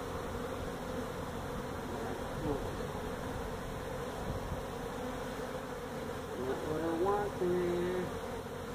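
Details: Steady massed droning of a feral honey bee colony in a tractor tire at a citrus orchard in Mission, Texas, during hive removal, with a short stretch of human voice toward the end.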